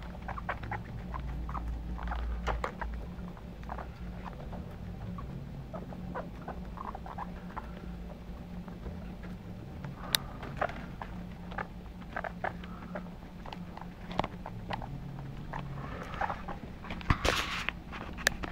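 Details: Household guinea pigs of the Teetee family moving about, giving soft, brief pips and chirps scattered through a long stretch, with a louder burst near the end and a constant low hum beneath.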